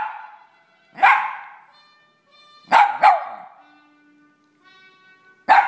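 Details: Pet dogs reacting to a TV theme tune with loud, ringing barks, a quick double bark near the middle and another at the end, while steady tones of the theme music hum between them.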